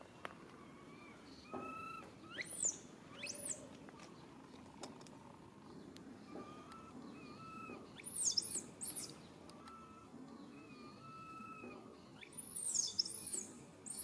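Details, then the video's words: High-pitched arched squeals from a baby monkey crying for its mother's help come in three bunches, early, around eight seconds and near the end, with softer level whistled tones between them and constant low background noise. "Po-or baby monkey RAIN calling mom RANY to helps but can't."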